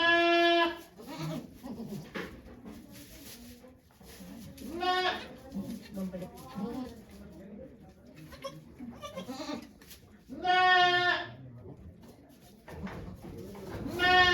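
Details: Goat Okayu bleating during the birth of twins at Yoshigake Farm, Japan, on 3 May 2023; loud harmonic bleats at the start, middle and end, with murmured speech from onlookers in between.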